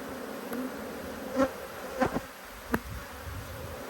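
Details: Brief burst of honey bee hum from a disturbed hive under inspection, 5 March 2022. A steady drone carries a few loud knocks about half a second apart and a rising whine as a bee passes.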